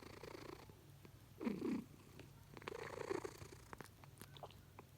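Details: Asleep indoors, a cat snores with short snorting breaths, one stronger rasping burst followed by a softer, longer wheeze, with faint clicks between.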